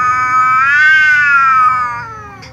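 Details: A tom cat and a ginger cat meow loudly at each other before eating together. One long, harmonic, drawn-out meow rises gently, holds, then slowly sinks and fades over about two and a half seconds.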